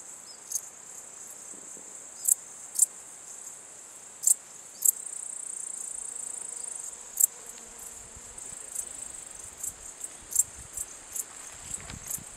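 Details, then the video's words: Transylvanian bush-cricket male singing its calling song at Cosia, Romania, 14 July 2013: brief high clicking chirps, some loud and some fainter, spaced irregularly about every half second to two seconds, against a continuous shrill insect background. "Pholidoptera transsylvanica, male calling song"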